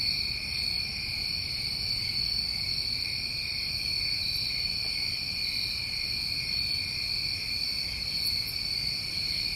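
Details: Crickets from a New England summer trill without pause, a bright even drone on two pitches, with a couple of faint clicks near the end and little else.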